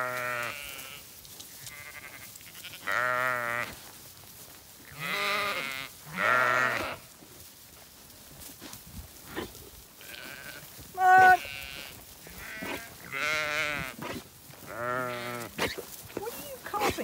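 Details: Zwartbles ewes gathered to a bucket on a farm in County Kilkenny, Ireland; one ewe coughing. Many overlapping harmonic bleats from several sheep through the clip, with a woman's voice calling to them.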